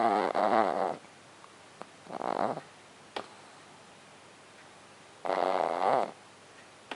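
A French Bulldog snores in loud, rattling, throaty breaths spaced a few seconds apart.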